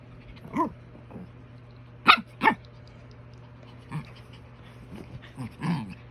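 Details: A Shih Tzu gives short, sharp barks and whiny yelps at irregular intervals over a low steady hum, at night, seemingly protesting a bath.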